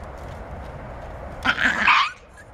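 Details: Adult male Great Dane scolding Great Dane puppies to teach boundaries and respect: one harsh, rough bark-growl burst about half a second long after a stretch of steady background noise.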